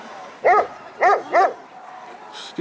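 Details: Barks from a Caucasian Shepherd Dog at a single-breed show on 6 September 2014 where males were exhibited: three separate mid-pitched, harmonic barks about half a second apart, then a brief clatter at the end.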